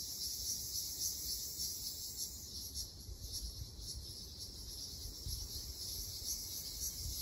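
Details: Ryukyu large brown cicada singing in a summer forest in Okinawa: a continuous high, sizzling buzz with slight pulsing and swells, over low rumbling background noise.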